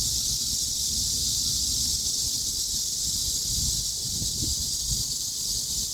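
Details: Cicada chorus forming a constant hissing wall of high-pitched sound, unchanging in pitch, over faint low murmuring noise.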